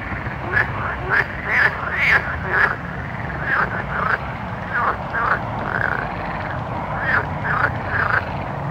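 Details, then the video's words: Night-time frogs in a busy chorus: quick, sharp croaks and clicks tumbling over one another, about two per second, then softer drawn-out calls, all over steady background hiss. "Soothing Night Frog Sounds"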